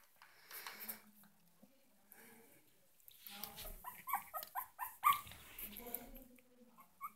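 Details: Yorkshire Terrier puppies whimpering: a quick string of short, high, yelping whines in the middle, preceded and followed by softer drawn-out whines and light rustling.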